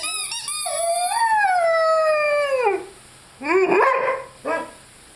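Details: Lyle, a five-month-old Rhodesian Ridgeback, howls with his squeaky chicken toy: one long, smooth, falling howl lasting about two seconds, then two short rising-and-falling yelps after a pause.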